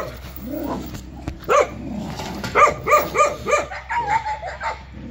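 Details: Jindo dog giving a burst of sharp, rapid yips and barks after a quiet start, several per second for about three seconds before trailing off into softer calls.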